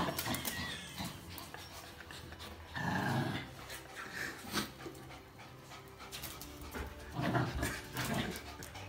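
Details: Playful growls and grunts from dogs tugging over a towel: a Jack Russell Terrier against black-and-white and red-and-white Border Collies. Two louder, rough harmonic bursts stand out near three and seven seconds over steady scuffling and panting.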